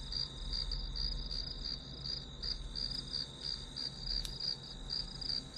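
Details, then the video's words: Grass insect chorus behind a study-with-me session, a shrill continuous tone beating in quick pulses roughly three per second; one sharp click near the end and a low hum underneath. "풀벌레 소리"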